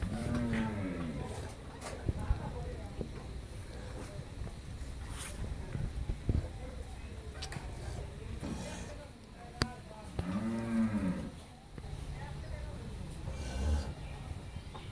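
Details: Friesian cow on her first lactation, with her bull calf, on a Pabna, Bangladesh dairy farm: a short low moo opens, then a second drawn-out rising-and-falling moo around ten seconds in, with people talking and scattered knocks throughout.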